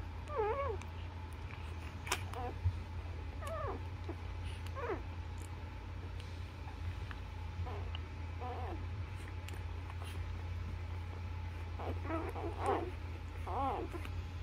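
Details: Newborn Labrador Retriever puppies nursing on their mother, giving short, high, squeaky whimpers and wavering squeals in scattered bursts, heaviest near the start and again toward the end, over a steady low indoor hum.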